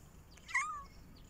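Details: A kitten calls out for attention with one short meow that starts with a brief upward jump, then bends slightly up and down before trailing off. Only faint background noise surrounds it.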